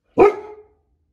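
A Goldendoodle gives a single sharp, full-throated guarding bark that fades quickly.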